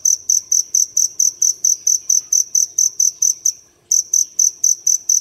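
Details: Dế lửa field cricket calling inside a city home at daybreak, tucked in a crevice; rapid even run of shrill chirps, a brief pause of about a third of a second, then the chirping resumes at the same pace.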